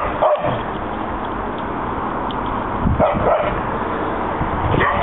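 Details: Pet dogs at play, chasing in a back yard after a walk; a sharp bark opens, two quick yips follow near the middle, and a faint bark closes, over a constant dull background rumble.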